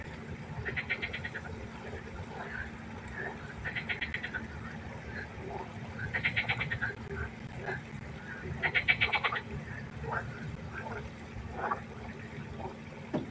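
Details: At a pond at night, a frog gives loud rattling, pulsed croaks in bursts of under a second, roughly every two to three seconds, while other frogs croak more softly behind it over a faint steady hum.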